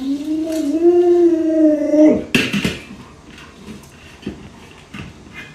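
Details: Alaskan Malamute named Lolo, a pet indoors, annoyed as its owner pretends to eat dog-meat hotpot; a sustained, slightly wavering howl for about two seconds, then clattering of a pot lid and quiet room sounds.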